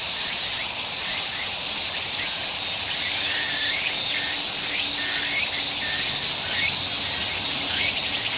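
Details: Tsukutsuku-boshi cicada, which begins singing right after landing and leaves when it falls silent; a continuous high shrill buzz carries short rising sweeps that repeat roughly every second, growing clearer toward the end.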